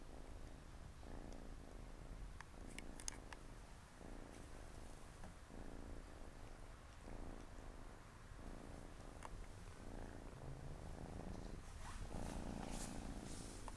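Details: Siamese kittens, four of them, relaxing next to their mother on a Saturday afternoon; steady low purring pulses through alternating inhale and exhale phases about every second, with light scratchy rustles near the middle and end.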